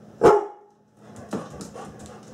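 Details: A female pet Labrador Retriever plays in a kitchen and puts on a tough act at something that scares her. One abrupt, loud bark is followed by quieter huffs and faint background noise.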